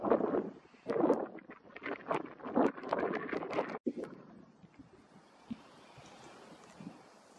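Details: Greater bee fly, Bombylius major, buzzing in loud, uneven surges through the first four seconds, the hum swelling and fading as it moves, then dropping to a quiet outdoor background.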